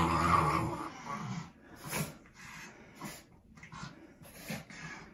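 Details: Male Shih Tzu/Pekingese dog that hates his bath, growling during bathing: a rough, low rumbling growl in the first second, then quieter scattered grumbles and splashing noises.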